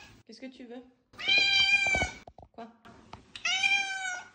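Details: Pet cat indoors giving two long, bright meows about two seconds apart, each a strong harmonic wail, between bursts of a woman speaking French to it, asking if it wants to go out.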